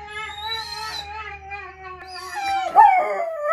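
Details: Female Irish Wolfhound at home answering howls of other wolfhounds played back: long, smooth, mid-pitched howl that dips and swells, rising into a louder, higher wavering cry near the end.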